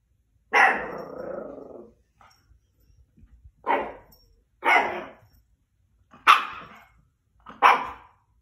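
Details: A Miniature Schnauzer indoors opens with a drawn-out, rough growling bark, then gives four short, sharp barks spaced about one second apart, with quiet pauses between them.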